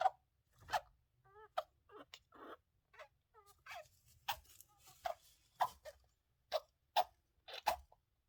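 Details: A male pet hamster, sick with an infection the vet thought was probably a cold, gives sharp sneezy clicks and small, high, wavering squeaks from his house in the cage, heard in the morning.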